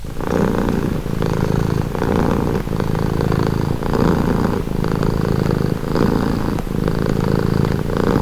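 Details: Cat purring close up for calm, rhythmic low rattling drone with clear breath cycles repeating about every second and a half, strong and even from start to finish.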